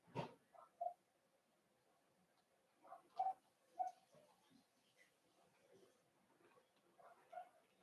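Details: Cavalier King Charles Spaniel puppies in a home puppy pen, during a socialization session with several older dogs and a first offering of puppy mash: short, tonal, mid-pitched whimpers and yips come a few at a time, opening with a sharp knock.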